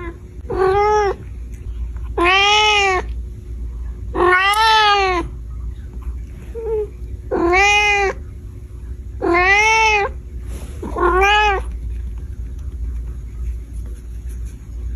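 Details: Kitten in a cute cat compilation, meowing six times: drawn-out, arching meows rich in harmonics, each about a second long, coming every one to two seconds over a faint steady background hum.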